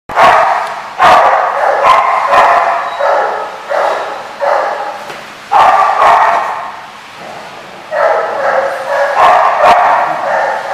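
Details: Dog barking in loud, rough bursts roughly a second long, with about eight bursts separated by short pauses. A faint low hum sits underneath.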